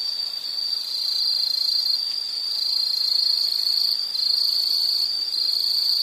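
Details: A steady, high-pitched insect trill fills this nature soundscape for relaxation, a nearly continuous shrill buzz with a brief dip near the middle and faint hiss beneath.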